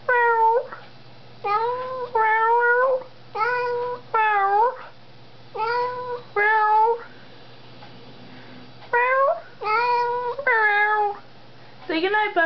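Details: Pet cat named Buckwheat meowing back at her owner in an evening exchange in a small room, bright tonal meows in twos and threes with bending pitch, a quiet gap midway, then more meows.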